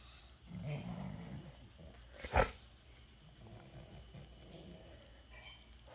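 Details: French Bulldog rolling over for belly rubs and making its happy noise: a low, rumbling snort-like grunt early on, then a single sharp click, with quiet room background.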